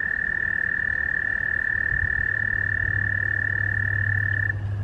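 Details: American toad (Anaxyrus americanus) gives a long, steady, high musical trill, its mating call while seeking partners for reproduction in a noisy breeding gathering.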